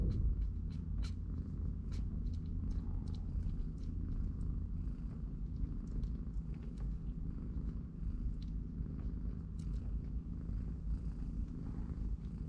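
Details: Three-week-old kittens play and nap in a cardboard box while their mother cat watches; a steady, low, rumbling purr runs unbroken through the whole stretch, with faint soft clicks and taps scattered above it.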